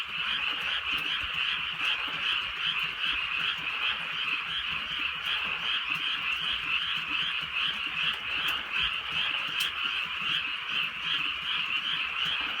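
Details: A steady frog chorus fills a rainy rural night. Countless quick croaks run together into a continuous rattling hum with a gentle rhythmic pulse throughout, plus occasional raindrop taps and a couple of crisp clicks.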